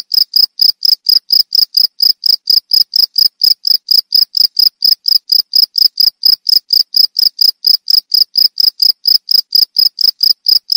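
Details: Cricket chirping steadily, sweet-toned and used as a rat repellent and songbird therapy sound; loud high-pitched pulses repeat about two per second, very even and continuous, with nothing else heard.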